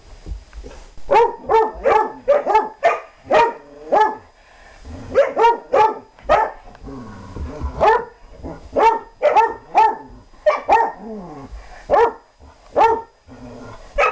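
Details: Playful German Shorthaired Pointer chasing another dog, giving a steady series of short, sharp harmonic barks roughly every half second, broken by a few quieter gaps and low growly sounds.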